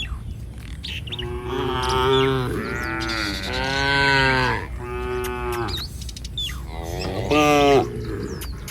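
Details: Village cattle in a herd wandering along a street, giving a run of overlapping moos, drawn-out and harmonic, some rising then falling; faint chirps of small birds in the background.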